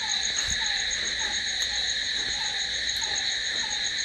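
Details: A dense night chorus of crickets produces a seamless high-pitched trill, accompanied by a soft, lower note recurring about every 0.7 seconds.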